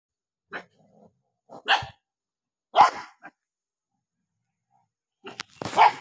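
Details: Dog barking angrily while eating, with short, harsh barks coming singly and in pairs, separated by silent gaps and quiet low grumbles.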